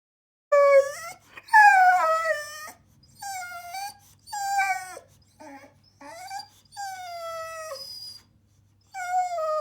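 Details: Boxer dog named Millie, bored, 'talking' with a run of whiny, yodelling vocalizations: tonal moans that rise then slide downward, in about eight uneven bursts separated by short pauses; quiet room with a faint low hum.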